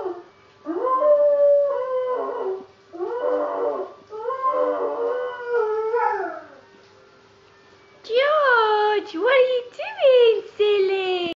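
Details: Wavering, bent howls from a female pet Labrador Retriever 'singing': several rising-and-falling yowls through the first six seconds, a quiet gap, then higher, sharper yodelling howls broken into short bursts.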